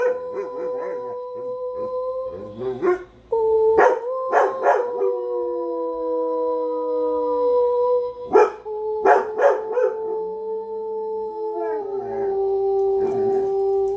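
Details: Pet dogs singing and howling together: long sustained tonal howls holding steady pitch, with several overlapping voices, broken by short sharp barks and yips at intervals.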